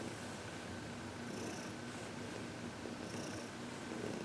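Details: Heidi, a happy 14-year-old senior cat adopted from the Humane Society of New York City, purring during a massage and reiki session; a steady continuous rumbling purr with soft rhythmic breaths, indoors.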